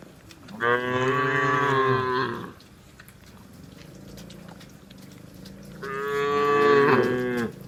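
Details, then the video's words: Cattle being herded home to the shed in heavy rain in the countryside; two long, loud moos, each about two seconds, with a rich low harmonic tone, separated by a quieter stretch with steady rain in the background. "Bunyi sapi lucu"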